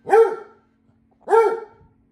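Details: Two deep, resonant barks about a second apart from Vincent the Basset Hound, worried by a floor-cleaning robot vacuum at home; each bark swells and fades with a drawn-out tail.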